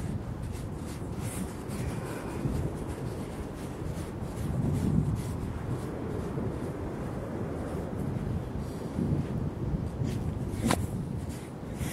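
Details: Strong wind buffeting the microphone on a beach, with low rumbling and a short click; no animal sounds heard.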